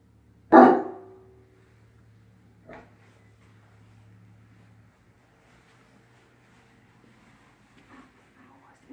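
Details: A single loud, sharp dog bark near the start, followed by long quiet stretches with only faint low hum and a few soft distant noises.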